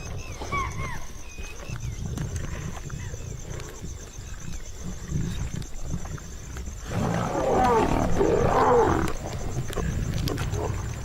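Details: Wild Asiatic lions in India, a pride around a hunt of spotted deer, growl and snarl in deep, rumbling bursts, with bird whistles and a steady insect drone.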